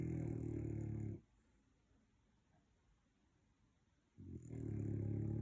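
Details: Sleeping dogs, an American Pit Bull, a French Bulldog and an English Staffy bull, snoring indoors; two loud, deep, rattling snores, each over a second long, with a three-second quiet gap between.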